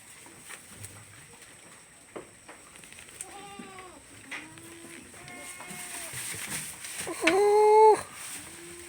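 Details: Farm goats kept alongside female workers: a run of wavering, nasal bleats beginning about three seconds in, each a few tenths of a second long, the final one loudest and longest, over faint steady hum and rustling.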